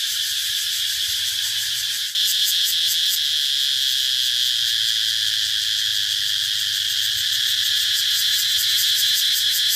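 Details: Cicada calling: a steady, loud, high electric buzz with a quieter opening that jumps sharply in volume after two seconds into a rapid, throbbing pulse that carries on to the end.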